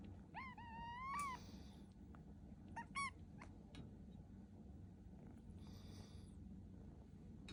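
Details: Rescued kitten on waking in the morning, indoors: a clear rising-then-falling meow near the start, a short chirpy mew around three seconds, and soft rustling with a low background hum.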